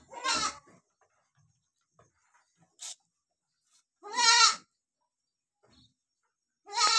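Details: Goat mother licking her two newborn kids; three short, loud, quavering bleats with a nasal, tremulous tone, spaced about three seconds apart, with near silence and faint small rustles between them.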